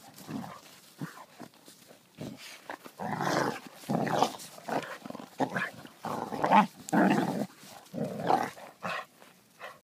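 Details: Two Basset Hounds wrestling at a dog park in Anchorage, Alaska, growl and give short gruff barks in a rough, uneven play bout.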